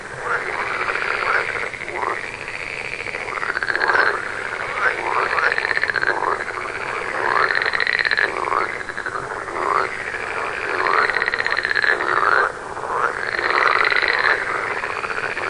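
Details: Frogs chorus continuously, with repeated arching, downward-curving croaks from many callers over a pulsing rattle that surges in waves every couple of seconds.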